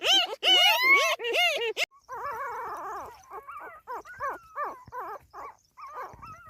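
Newborn puppies give high, arching whimpers and squeals in quick succession, several calls every second or two.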